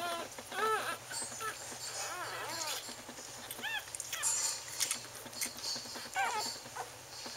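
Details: Newborn Wheaten Terrier puppies from an October 18, 2011 litter, beside their mother, give repeated arched, rising-and-falling squealing whines and squeaks from several pups overlapping, with a steady electrical hum beneath.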